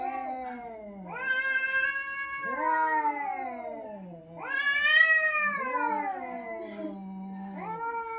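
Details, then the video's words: Domestic cat making a strange call: long yowling caterwauls that rise, hold and fall, about four drawn-out wails with short gaps, strong and rich in overtones, in a quiet room. "Suara aneh kucing"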